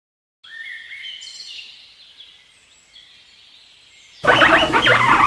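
A guinea pig gives high, whistled squeals with upward sweeps, followed by a burst of loud, broad noise.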